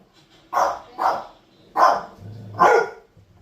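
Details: Pet dogs barking: four loud, harsh barks in about three seconds, the third and fourth coming after a short pause, with a soft low growl-like rumble just before the last bark.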